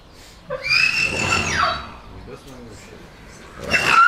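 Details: A wolf in a flirting exchange lets out a brief, high, thin whine that slides downward, then a short squeal at the end; faint talking underneath.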